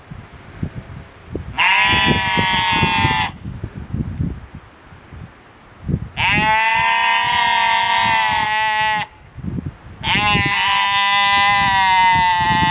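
A sheep gives three long, loud, wavering bleats, each lasting a couple of seconds.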